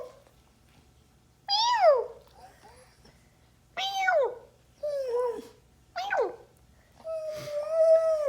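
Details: A Siberian Husky, reacting to its owner making animal sounds, gives a run of harmonic, falling yowls and one longer, level, moaning note.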